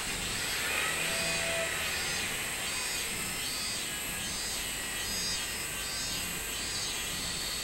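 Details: Minmin cicada on 24 July 2016 singing a clear series of regular, arching buzzy pulses, about three per second, over a continuous high-pitched chorus of other insects.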